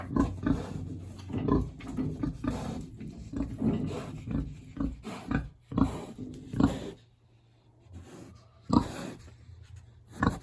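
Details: Hungry big pig housed in a village on a warm autumn day makes low grunts and snuffling noises, busy and uneven at first, then a quieter gap before a few more grunts.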